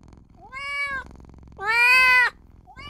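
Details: Little newborn kitten crying for its mother and owner: two meows, a softer rising one then a louder, longer, slightly falling cry, with faint low background hum.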